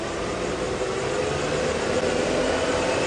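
A steady vehicle engine idles and rumbles throughout, with broadband noise and no animal calls.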